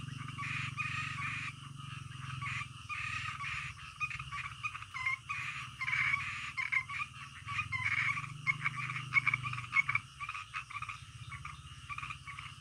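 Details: Frogs croaking at night, a dense chorus of harsh, rattling croaks pulsing irregularly, overlapping calls with a steady low hum beneath, heard as a calming natural night soundscape.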